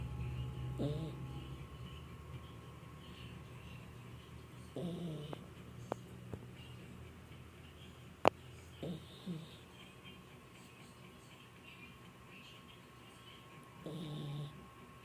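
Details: Sick puppy asleep indoors, snoring in low rasping breaths spaced roughly four to five seconds apart, each a short rough burst, with a couple of sharp clicks between them and a quiet room hum.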